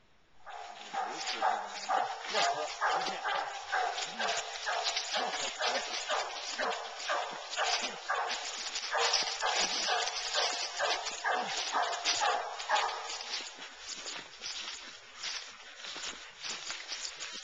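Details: Two Bluetick Coonhounds on a coon hunt, treeing in the woods after trailing through a corn field; dense, rapid chopping barks about two per second, closer and loud, with voices partly overlapping.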